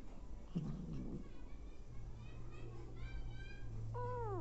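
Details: Hungry abandoned kittens with their nursing mother cat; a low murmur first, then a thin run of stacked mews and a final falling cry over a steady low hum.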